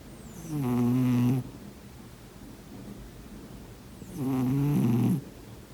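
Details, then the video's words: Domestic cat snoring in its sleep, two loud low rasping snores about three seconds apart, each a second long with a harmonic buzzy tone, the room otherwise quiet. "인간과 고양이의 코골이 대전 //코고는 고양이 소리"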